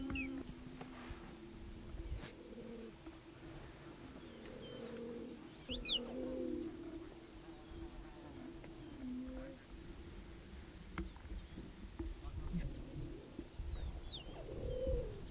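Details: Wild cheetahs in Olare Motorogi Conservancy, Kenya: a mother with three cubs welcoming a young male intruder. They give low, short, repeated calls of about a second each, with scattered high bird chirps and outdoor background noise.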